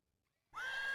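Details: Horse neighing: after half a second of silence, a sudden high, tonal whinny begins, rising quickly and then holding a steady pitch.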